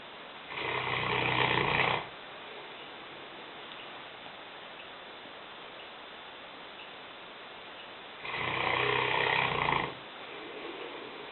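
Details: Sleeping in the kitchen, a 150-pound five-year-old Newfoundland bitch named Lena snores, two long harsh breaths roughly six seconds apart, each lasting over a second, over a steady low hiss.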